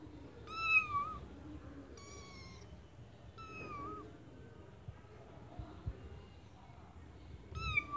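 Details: Kittens sitting in a white bucket give four clear, high, slightly wavering meows, each sliding down at the end, separated by quiet gaps with faint knocks.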